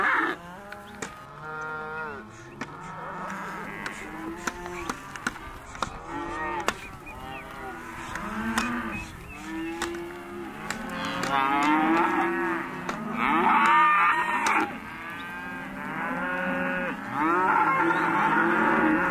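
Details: Calves of Hereford and white-faced type grouped in a sale lot, many voices bawling and mooing in overlapping waves, some short clicks and knocks between calls, louder chorus toward the end.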